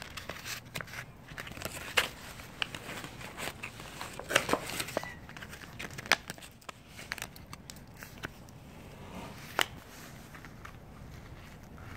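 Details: Indoor crinkling, tearing and crackling, like paper or plastic being handled in a small room, with sharp clicks scattered throughout and no animal voice.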